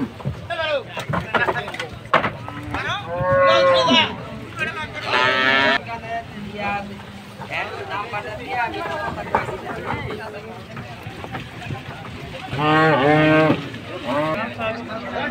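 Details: Bangladeshi cattle unloaded ahead of Qurbani Eid, bellowing in loud, harmonic-rich moos, two close together early on and another near the end, amid human shouts, banging and steady crowd din.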